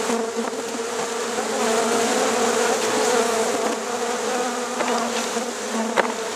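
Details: Honey bees going into a hive after dark at Rosharon: a dense, even, low-pitched hum from the swarm, steady throughout with slight pulsing and a faint click near the end.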